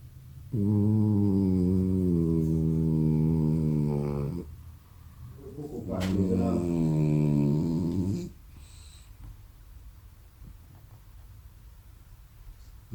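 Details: French Bulldog asleep, giving a long, steady, droning snore of about four seconds, then a second rougher, wavering snore, followed by quiet room noise.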